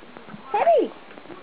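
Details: Male Maine Coon and American Bobtail mix cat gives a single short meow, rising then falling over about half a second, while people talk quietly indoors nearby.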